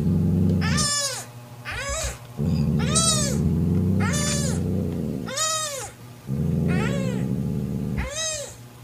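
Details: Mocha, a mother cat, growls deep and continuously to banish her sister Kofi from her newborn kitten. Sharp, rising-falling meows break in about once a second above the rumbling growl.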